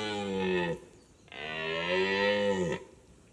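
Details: Red deer stag with a forked lower tine, two deep drawn-out harmonic roars, the second longer and ending in a falling groan.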